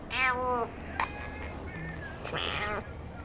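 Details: Cat at a cat café in Sendai, Japan, begging from an unusual spot; two clear harmonic meows, one at the start and a longer one later, with a woman calling softly in Japanese.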